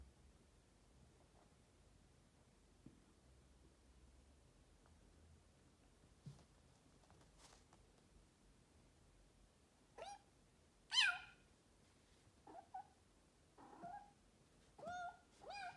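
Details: Leonardo, a noisy pet Bengal cat, stays quiet for about ten seconds of faint room sounds, then gives a run of five short chirping meows, some rising then falling, with bright harmonics, in quick succession.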